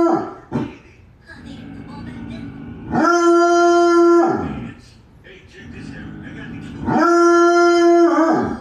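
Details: Bloodhound, a scent-hunting hound also called St. Hubert Hound, giving two long, steady, musical howls about four seconds apart, each holding one pitch for over a second, with softer whimpering noises between them.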